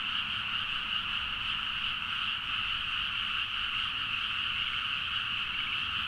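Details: Rice-paddy frog chorus at midnight near Nagaoka, Niigata, Japan, Zoom H4n recording; countless callers blend into a constant shimmering trill with pulsing croaks, even and loud from start to finish, no other sounds standing out.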